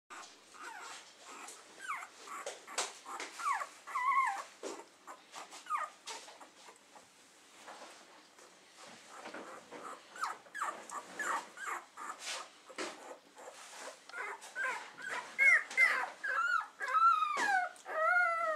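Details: Keeshond puppies in the nest, indoors: many thin, high whimpers and squeals with rising and falling pitch, overlapping in a busy chorus, growing louder and more tonal toward the end, with soft rustling between calls.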